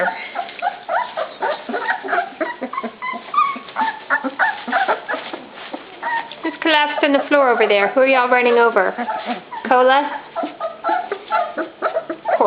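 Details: Several pups at dinnertime making a dense chorus of high, overlapping whines and yelps. Quavering, wavering cries pile up in the middle stretch, and voices may be heard underneath.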